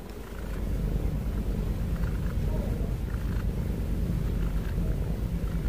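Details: Domestic cat snoring and breathing heavily: a low, continuous rumbling drone with fast pulses, steady in loudness after a soft start, with faint background noise.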